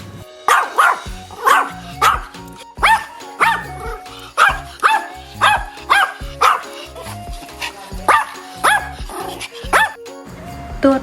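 A dog barks steadily, about fifteen sharp woofs at roughly one-second intervals, over faint background music.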